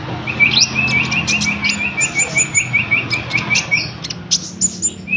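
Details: Cricket sound used to train konin birds: a steady run of quick, regular high-pitched pulses, roughly a dozen per second, with bright bird tweets and short whistles layered over it.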